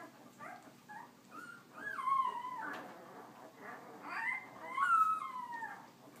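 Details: Leia's puppies out for walking time, whimpering indoors: drawn-out whining cries that slide downward in pitch, two main wails a few seconds apart with softer squeaks between.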